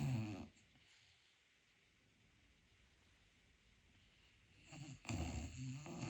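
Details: Pet dog asleep indoors, dreaming and quietly snoring; a low rumbling snore at the start, a long near-silent stretch, then another low snorting breath near the end.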